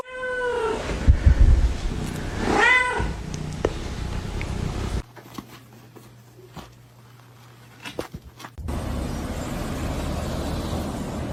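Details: Cats in a fight: loud harmonic yowling wails that rise and fall over the first three seconds, then quieter scuffling and rustling, with background music and a sudden change in the recording midway.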